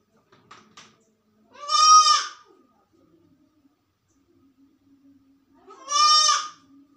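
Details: A sick goat alone in a room gives two loud, wavering bleats a few seconds apart, with quiet between them.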